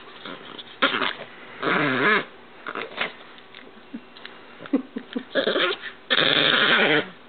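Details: Pet dog named GIR, being playfully teased at home, gives wavering, harmonic growl-like and whining bursts: several short outbursts, then a longer drawn-out vocal run near the end, with quiet gaps between.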